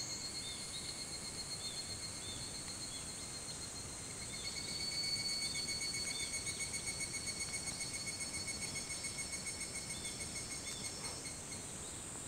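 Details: Higurashi (evening cicada) calling at 4:30 a.m., 28 July 2011, Hitotsubashi University, Kunitachi, Tokyo; rapid pulsed high ringing, about four beats a second, swelling louder after four seconds then easing, over a quiet background chorus and low hum.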